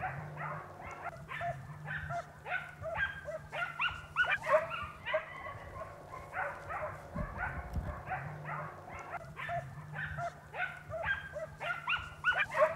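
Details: Segugio Italiano hounds baying while chasing a hare through a large vineyard in Italy, hunting footage from the early 1990s; dense overlapping yelps and bays from several dogs, nearly continuous with irregular rhythm, a steady low hum beneath.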